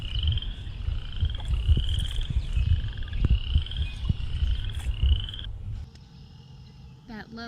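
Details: Leopard frog giving a low, rattling snore that rumbles on for several seconds at a vernal pool with duckweed and algae in early April, while repeated high, clear notes from red-winged blackbirds ring out over it.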